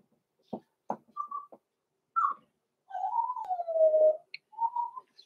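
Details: Six-week-old blenheim Cavalier King Charles Spaniel puppies Roman and Blue, born November 14, 2022, in an indoor puppy pen: a few short yelps, then a long whistled whine that wavers and falls before a brief rising whimper.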